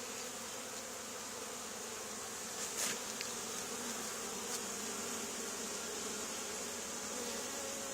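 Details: A honey bee swarm clusters on the wall of an old barn, two days after a nearby hive cutout. The continuous, even roar of massed wings fills all eight seconds, broken only by a couple of faint clicks.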